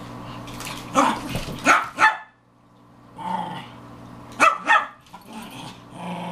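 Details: Four female Pekingese dogs, including fosters, playing hard and loud indoors: clusters of sharp barks and throaty growls in two bursts with a quiet gap between, low steady hum underneath.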